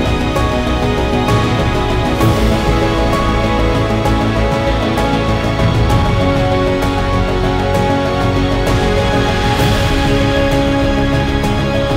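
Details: Loud, dense theme music with sustained chords and occasional percussive accents fills the recording.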